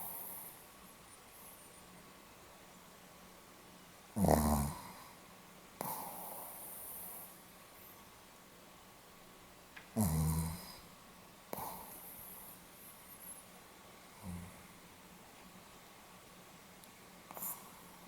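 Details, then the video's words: Sleeping Pomeranian recorded on 8 November 2015, snoring in an irregular series of rasping, nasal snorts, roughly every two to six seconds, with softer breaths between them in a quiet room. "ポメラニアン 犬のいびき"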